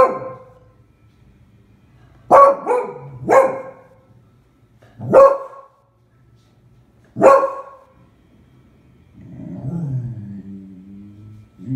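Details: Eva, a Beagle frightened by a pram, gives a run of loud sharp barks spaced one to two seconds apart, followed by a softer, rising whining or growling sound near the end; February 20, 2016.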